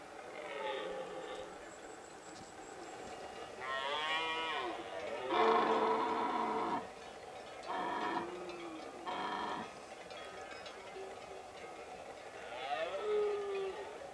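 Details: Red deer stag bellowing in the late-September breeding season in the Pyrenees. Repeated hoarse, harmonic roars come in separate bursts of one to two seconds, some stacked and grating, with gaps of near quiet.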